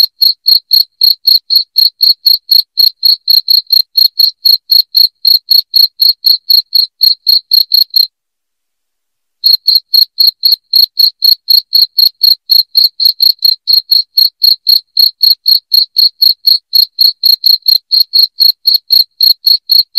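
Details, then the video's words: Shrill cricket chirps meant to drive rats out of a home, pulsing at around four per second in a steady, high-pitched train, with one brief silent gap about halfway through and nothing else audible. "SUARA JANGKRIK NYARING"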